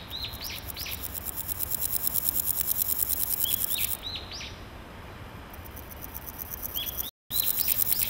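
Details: Naki-inago grasshopper singing in grass, the male scraping its hind legs on its wings, perhaps to court: fast ticking, hissy pulses run for about four seconds, pause, then resume. Descending whistled bird chirps come in small clusters, with a brief dropout near the end.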